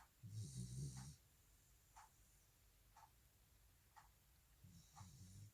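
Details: Sleeping Welsh Corgi named Jandi, resting after two hours of walking, gives a short low snore at the start and another at the end, separated by quiet with soft ticking sounds about once a second.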